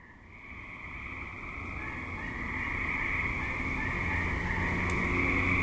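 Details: Active suburban tree frogs calling at dusk into night, a dense continuous trilling chorus in a steady high band that swells louder over the first seconds, with faint low traffic-like rumble underneath.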